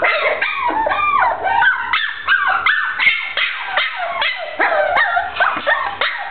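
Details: Short-haired brown dachshund giving a rapid series of high, tonal whining yelps and yips, each sliding up and down in pitch, about two to three per second, with brief breaths between bursts and no other notable sounds.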